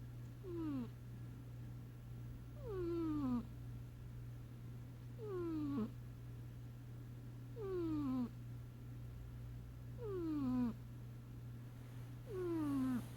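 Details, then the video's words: Snoring kitty Sasha asleep: six evenly spaced whistled breaths, each gliding downward in pitch, repeating about every two seconds above a continuous low hum. "Sasha The Snoring Kitty"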